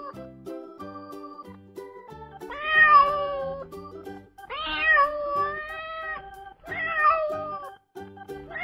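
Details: Cat featured among farm animals for kids, meowing three times in loud, bending, slightly whining calls spaced roughly two seconds apart, a faint fourth starting at the end, over a steady bed of gentle background music.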